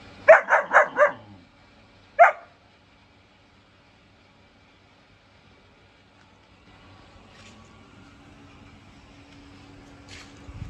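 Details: Four-month-old German shepherd puppy barking: four fast, clipped barks in a tight burst, a single bark shortly after, then a long lull with faint background hum and one soft bark at the close.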